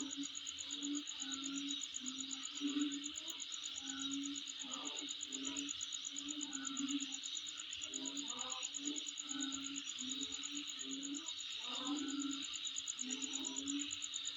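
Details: Night-sounding insect chorus around a dwelling, a fast, even high pulsing trill layered over a constant buzzy hiss, while lower hum-like tones and soft scattered knocks come and go underneath.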